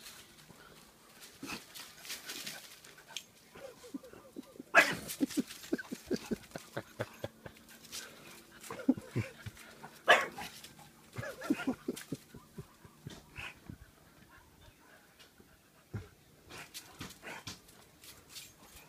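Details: A 9-week-old Bullmastiff puppy and a 1-year-old French Bulldog playing together: scattered soft growls, grunts and whimpering yips in short bursts, with panting and rustling between them.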